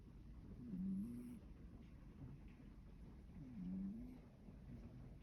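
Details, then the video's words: Domestic cat, a male rescue cat born in spring 2019, snoring while sleeping comfortably in the evening in Shiga, Japan; two soft, low rasping breaths about three seconds apart over quiet room hiss. "いびきをかいて.. 気持ちよさそうに眠る猫"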